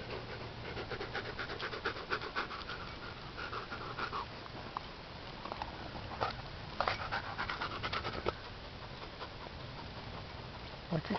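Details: Wolf hybrid of Siberian Husky and wolf panting beside a dung beetle at work; rapid breathy pants in bursts, a few louder gasps and scuffles, and a low hum underneath.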